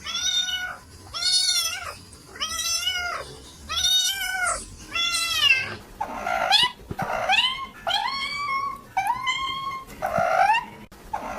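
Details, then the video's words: Domestic cats giving a run of about ten meows. The first ones are long and arched; the later ones are shorter and slide upward in pitch before levelling off. A faint room hum sits underneath. "Cats Meow 10 Minutes of Cats Making Meow Sounds"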